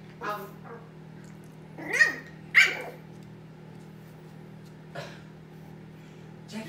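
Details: Pug puppy playing indoors while his big brother pug tries to calm him: short, sharp, high yips, two louder ones close together around two seconds, then fainter single yips, over a steady low household hum.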